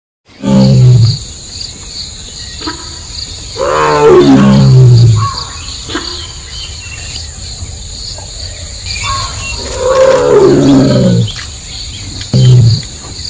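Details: Tiger calling in the jungle of Nagarahole Tiger Reserve: deep, moaning roars, each sliding downward and lasting about a second, four bouts spread over thirteen seconds, with a steady high insect drone underneath.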